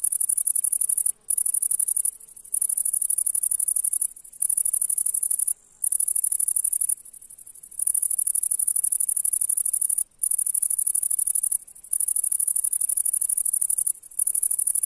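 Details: A grasshopper in meadow grass on a July day sings a thin, high, continuous buzzing trill, broken by brief pauses every second or two.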